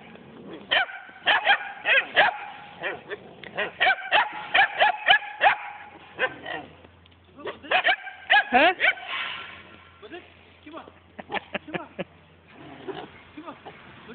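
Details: Kangal and German Shepherd mix puppies yapping in quick irregular bursts of high, sharp barks, several in a row, pausing briefly and resuming, with softer scattered yips toward the end and people talking.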